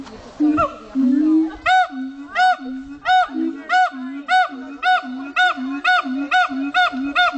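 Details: Siamang howling at Dubbo zoo, New South Wales: after a low booming start, evenly spaced arched whoops repeat roughly every half second over a steady deeper droning note.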